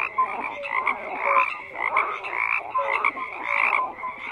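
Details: Many frogs croaking together in a dense chorus; overlapping rasping croaks pulse roughly every half second, with short low tonal notes scattered through and no other sounds standing out.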